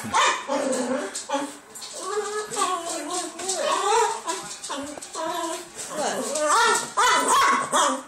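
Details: Pet Dachshund, a female, begging at the table for her pasta. Voice-like, modulated whines and moans, repeated in wavering bursts, with rising and falling pitch, while people talk alongside.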